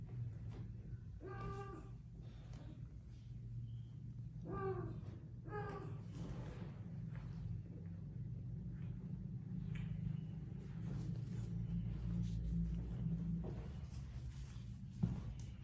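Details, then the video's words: Domestic cats in an aggressive fight: three strained, wavering yowls in the first six seconds, then a long stretch of low rumbling noise and a sharp knock at the end. "Cats Fighting Video! Aggressive Cats"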